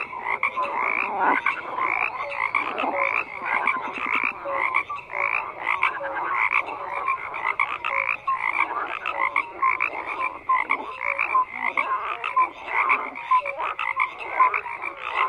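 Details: A thick chorus of many frogs croaking at once, with rapid rattling pulses and harsh overlapping calls that keep up continuously, plus occasional short whistled notes rising above the din.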